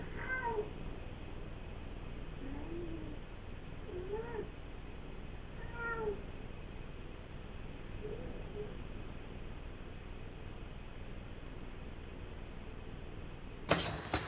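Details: Male British Shorthair cat resting on its owner's lap indoors, uttering about five brief, slightly rising then falling meows spaced roughly two seconds apart, followed by a quiet stretch and a sharp bump at the end.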